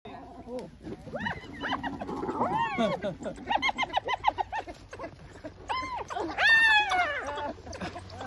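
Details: Spotted hyenas yowl and shriek in overlapping, arching wails while fighting wild dogs over food.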